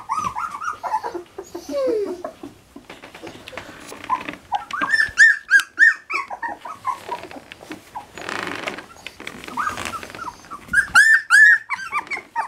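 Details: Standard Poodle puppies at three weeks old, indoors around their whelping box at breakfast, giving bursts of high squealing whines and whimpers, with quieter gaps, rustling and handling noises between the louder clusters of cries.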